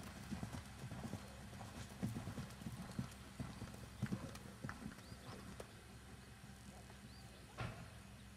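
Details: Hooves of Jerry, a keg-shod, natural-moving 3-gait Tennessee Walking Horse, six years old, shown and trail ridden. Sharp, uneven clops fall in quick succession and thin out toward the end, with voices heard faintly.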